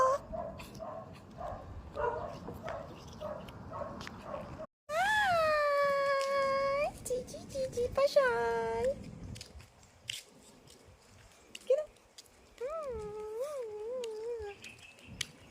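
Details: Pomeranian dog vocalizing: a long, high, tonal whine with wavering pitch lasting about two seconds, a shorter whine, then several brief rising-and-falling whimpers, with low background noise and soft voices.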